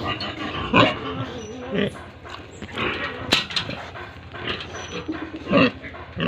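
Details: Pigs at a pig farm in Tripura, India, with rough broadband grunts and short squealing bursts scattered across six seconds, the loudest near the start and end, over steady farmyard background noise.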